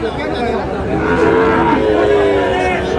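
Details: Sahiwal bull calf at a crowded cattle market in Brahmanbaria, Bangladesh, on 27 February: a drawn-out, steady, fairly high moo lasting over a second, partly overlapped by a man talking and market chatter.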